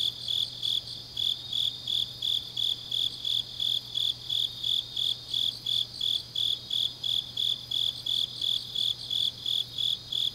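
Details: Autumn night grass insects recorded in Changnyeong, Gyeongnam, Korea, trilling in shrill, regular pulses roughly three per second, layered into a continuous chorus over a faint steady low drone.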